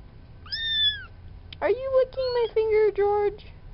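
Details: Young farm kitten among a litter of four, near the friendly male George: a short, high meow, then a run of four or five louder, lower, strongly voiced calls in quick succession.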